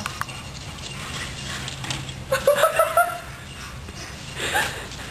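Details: Yeti and Virgil, two dogs hunting a squirrel, one giving a quick run of four evenly spaced, tonal yips in under a second, then a softer noisy burst, over steady outdoor background noise.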